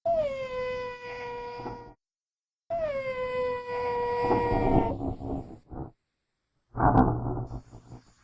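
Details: Genet in its natural habitat uttering two long tonal wails, each dropping briefly then holding steady, followed by rough grating bursts and a final harsh noisy call.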